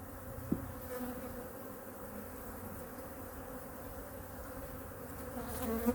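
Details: Winter inspection of a honey bee hive, colony #2, checked for stored food and fed. A continuous droning hum with clear tonal bands is heard, broken by sharp handling clicks near the start and the end.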